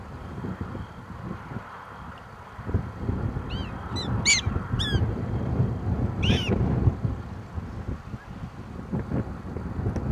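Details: Prairie dogs in a small prairie dog town in eastern Montana on August 21, 2007: a cluster of sharp, downward-sweeping chirps with bright overtones in the middle of the recording, over a steady low rumble of wind.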